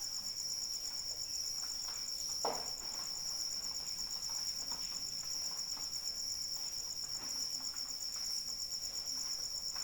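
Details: Rain falls while a cricket trills continuously, a shrill, finely pulsed tone that never pauses; one louder drop strikes near the middle amid gentle pattering.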